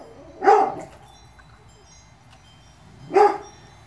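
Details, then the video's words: Two single sharp barks about two and a half seconds apart from Presa Canario puppies born 2/10/2016, over a faint low background hum. "PRESA CANARIO PUPPIES"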